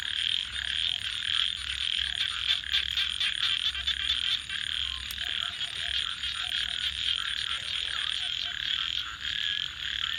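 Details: Frogs at night near a crackling fire: a continuous high-pitched chorus with occasional soft, low paired croaks, and frequent wood pops and snaps in the background.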